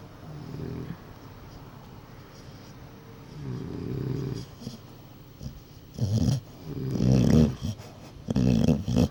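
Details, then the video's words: Cali, a pet dog, asleep and dreaming after a long day: low, rough snoring breaths in uneven bursts, quiet at first, then louder snorts and rumbling growl-like snores in the last seconds. "FUNNIEST VIDEO OF MY DOG SNORING & DREAMING"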